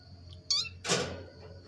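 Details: Lulu, a pet cat described as a motherless kitten, meowing with a spoiled, whining cry while begging for food indoors: one short, high, harmonic meow, followed by a loud broadband thump like a door.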